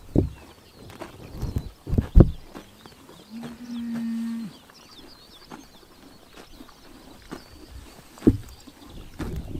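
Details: On a summer morning in Tuv province, Mongolia, horses crop and chew grass with sharp tearing snaps and soft crunching, while a low steady moo sounds briefly.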